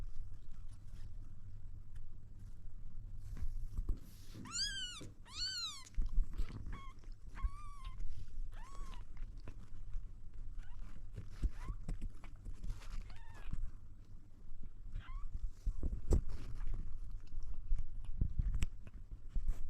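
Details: Kitten trying to drink milk, giving a burst of high, bright meows, some rising then falling, clustered in the middle with a couple of shorter mews later, over a constant low indoor rumble and scattered clicks.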